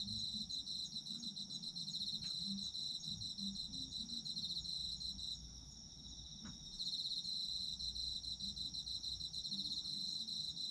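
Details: Shrill, sustained chirring of autumn insects, a bright steady tone joined by rapid pulsed trills that pause briefly near the middle, with two faint clicks and a quiet low hum beneath.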